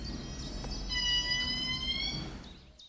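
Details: In eastern Madagascar's rainforest, an indri gives a loud, shrill, sustained wail that rises slightly; such calls carry great distances and serve group contact and territory marking.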